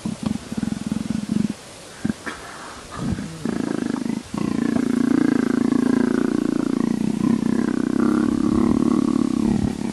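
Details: Leopard being scratched, giving a low rumbling growl-purr that swells into a sustained, steady throaty drone after a few broken, scratchy bursts at the start.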